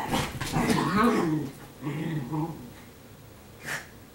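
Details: Indoor laundry-day scene with pet Italian Greyhounds, one named Sparkle being told to leave a bed: a grumbly, rippling growl with whiny overtones rises then dies away, followed by quieter muttering and a brief sharp noise near the end.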